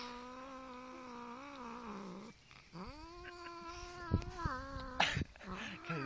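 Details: Domestic pet cat growls during a tug of war over a chicken drumstick, giving two sustained, low, moaning yowls that waver in pitch, with people talking near the end.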